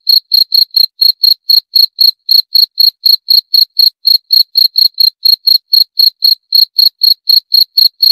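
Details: Steady cricket chirps repeat roughly four times a second, each short pulsed burst high and pure with a faint upper overtone, in an otherwise silent background.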